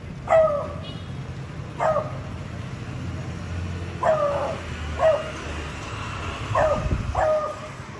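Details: A beagle gives short, sharp barks in irregular bursts, calling out to communicate with a Labrador dog.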